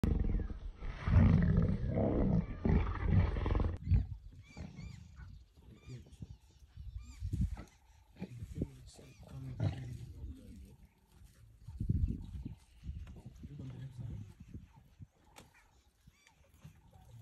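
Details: Male lion in Tanzania, Africa, recorded at very close range. It gives one long, deep, rasping roar for about four seconds, then a series of shorter low grunting roars at irregular intervals, fading toward the end.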